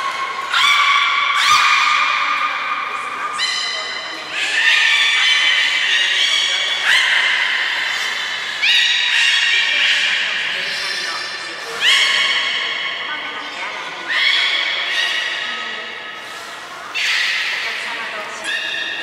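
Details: Sustained harmonic squeals from the captive belugas Taanya, Nana, Mirai and Niko during training at Port of Nagoya Public Aquarium, 11 July 2020, shifting pitch in distinct steps every couple of seconds, loud and tonal throughout.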